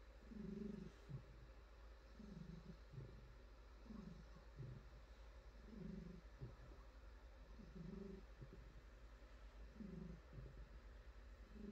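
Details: House cat, a female, purring while being stroked and pampered; throaty low vibration rising and falling in regular breath-paced waves, roughly every two seconds, with soft petting noises in the background.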